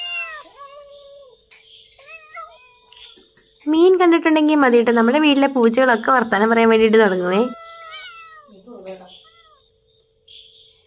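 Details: Pet cats in a house. Several short rising meows come first, then a loud, drawn-out, wavering yowl of about four seconds that slides down at the end. A few fainter meows follow over a faint steady background tone.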